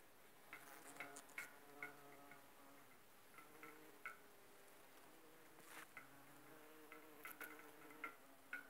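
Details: Bumblebees foraging on aconite, pollinating and collecting nectar, make an intermittent low harmonic hum that swells and drops away, with sharp little ticks and taps scattered throughout.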